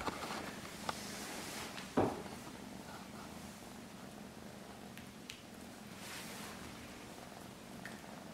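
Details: Norwegian Forest cat giving a continuous low, throbbing purr, broken by one sharp knock early on and a few faint rustles.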